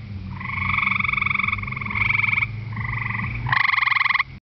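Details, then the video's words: A gray treefrog on the ground at a pond's edge gives a series of loud, musical trills, each a rapid burst of pulses, on a warm, humid night. "Gray Treefrog calling"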